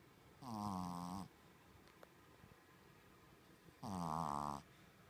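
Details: Shih Tzu dog asleep indoors, snoring in a humanlike way: two drawn-out, rough, low buzzing snores, each almost a second long, about three seconds apart, with a quiet room between them.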